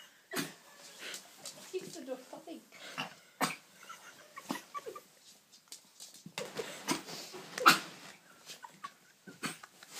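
A Yorkshire Terrier coughs in short, raspy bursts, some coming in quick pairs, with faint whining between them. A person's voice can be heard at times in the background.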